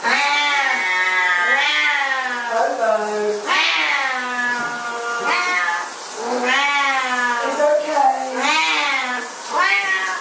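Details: Siamese cats at shower time giving long, loud, drawn-out wailing meows, several overlapping, each rising then falling with rich harmonics, nearly continuous.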